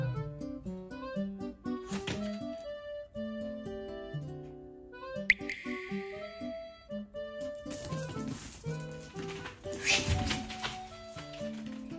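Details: Quiet background music of plucked, guitar-like notes plays with brief rustling and handling noises in a small room, and no animal sound is heard.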